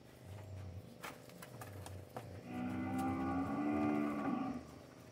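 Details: Nelore cattle from a group of seven Nelore heifers and eight Nelore, Anelorado and crossbred steers in the Bragança Paulista region, São Paulo, Brazil: after scattered knocks and clicks, one low, drawn-out moo lasts about a second and a half.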